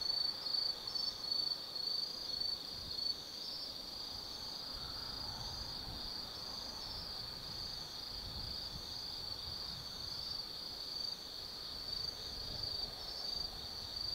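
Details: Insects of autumn heard at night from the 180 m viewpoint of Tsukimi no Mori, Gifu, Japan: a high continuous trill, with faint fluttering pulses early and a soft low hum of distant noise throughout.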